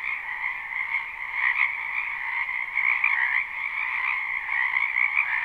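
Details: Frogs in a spring wetland behind a house, recorded live at night-time for sleep: a dense, continuous chorus of overlapping trilled croaks, banded around two pitches, steady throughout with gentle swells in loudness.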